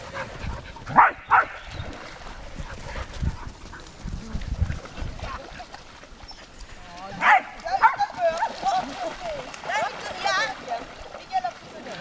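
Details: Dogs by the lake at Lida Nature Reserve on a summer day: short harmonic barks burst out near the start and again in a quick cluster later, with Swedish speech talking over much of the scene.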